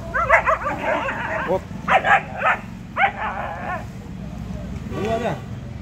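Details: German Shepherd puppy, 75 days old, giving short high yips and whimpering barks in bursts, with a drawn-out whine near the end; a person speaks softly in between.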